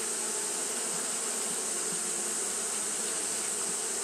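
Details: Japanese honey bees fanning at the hive on a hot day: a steady, dense buzzing hum with bands near 250 and 500, plus a constant bright hiss high above, unbroken throughout.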